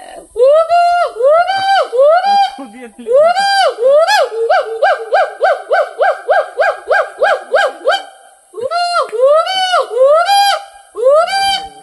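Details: Hoolock gibbon giving loud, whooping calls: rising hoots that speed into a rapid, evenly spaced series of short notes, then slow again to longer swooping whoops after a brief pause.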